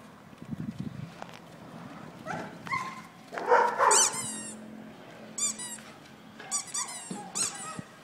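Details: Kerry Blue Terrier giving a series of thin, high squeaky yelps and whines in quick uneven bursts, with rustling and scuffling noises in between.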